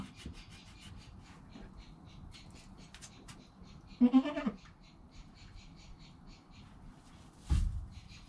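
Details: Joel, a newborn goat kid less than an hour old, beside his calm mother Penny, gives one short wavering, nasal bleat of about half a second midway, amid soft rustling, clicks and a thump near the end.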